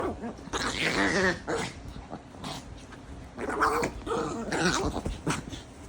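A Chihuahua makes wobbly, gargling growl-moans in short bursts while playing.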